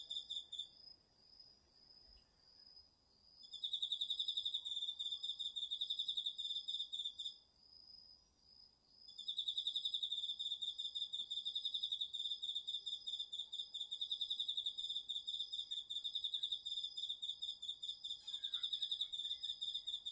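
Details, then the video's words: Crickets and other autumn insects in chorus at night in a garden vegetable field, captured with a DR-40X recorder: several overlapping high, pulsing trills that pause for a few seconds, then resume densely and rapidly. "秋の虫の声 ASMRでおやすみなさい 〜虫の音を枕元で聞いてね〜 こおろぎ他"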